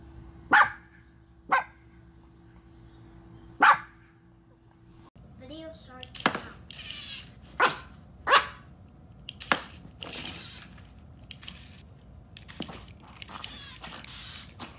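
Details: Chihuahua from a compilation of angry, happy and crying Chihuahuas giving short sharp yaps, first three spaced barks over a low hum, then a busier stretch of barks mixed with breathy noise and voices.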